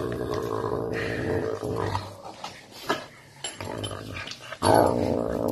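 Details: Caracal eating meat, giving deep harmonic growls in drawn-out bursts, a pause with soft chewing and clicks, then a sudden loud growl rising near the end.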